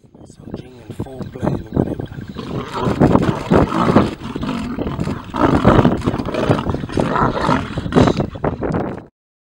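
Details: Lions at Timbavati during mating, a male apparently new to the pride mounting a pride female and asserting dominance with some fighting; loud, rough growling roars in bursts, overlapped by human voices and some vehicle noise.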